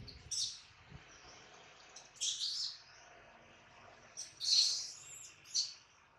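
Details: Baby monkey named Adler, hungry and missing his mother, cries while held in the hands of a small monkey; three or four shrill, high squealing bursts come about a second apart, with quiet gaps and faint low background noise between them.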